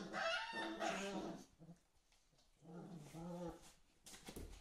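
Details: Playing whippets Ava and Ramses: a burst of higher whining growls opens, then a pause of near silence, followed by a second, lower growl that trails off into faint rustling.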